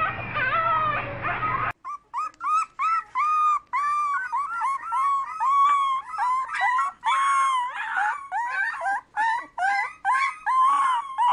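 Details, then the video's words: Puppies yipping in rapid short bent notes, dozens of them in quick succession, some drawn into brief howls, after an opening stretch of wavering howling over a hum. "CUTE PUPPIES HOWLING"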